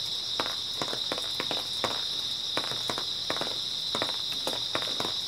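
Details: Constant high chirring of grass insects on an early autumn night, overlaid by irregular crunching footsteps roughly every half second.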